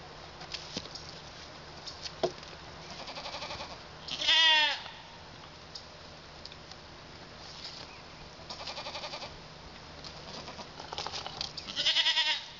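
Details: Male pygmy goat kids, born 27 February and not yet fully weaned, bleat in loud, wavering bursts with quieter bleats between them, outside London, Arkansas.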